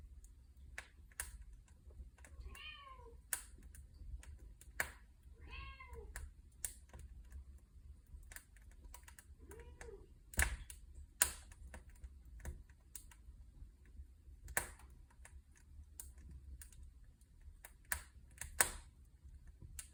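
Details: Cats near a fireplace: two short harmonic meows around three and six seconds and a lower mew near ten seconds, surrounded by many sharp crackling pops from the burning logs and a low hum.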